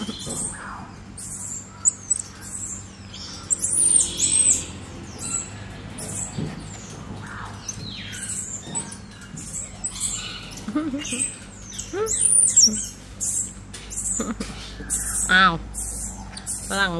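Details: One-year-old black-capped squirrel monkey giving thin, very high chirps and short whistled peeps in scattered bursts. Lower wavering notes come through near the end, along with rustling and clicking handling noises.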